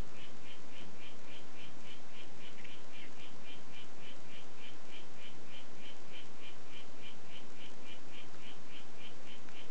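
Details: Harlequin poison frog, the "White Footed" form of Oophaga histrionica, giving a steady run of short buzzy pulses, roughly two to three each second for about ten seconds, even in pitch and spacing, over a constant background hiss.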